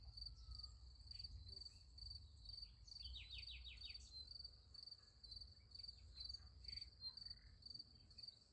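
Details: Night crickets by a sunflower field keep up a shrill, evenly pulsed trill throughout, broken partway by a quick descending bird trill of five or six notes. A soft low hum sits beneath.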